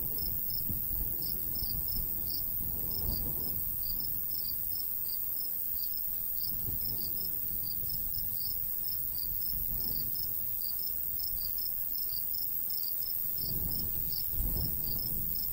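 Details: Crickets in summer countryside by a golden wheat field, giving rapid high-pitched chirps in quick irregular bursts throughout, over a steady low rumble of light breeze with gusts swelling now and then.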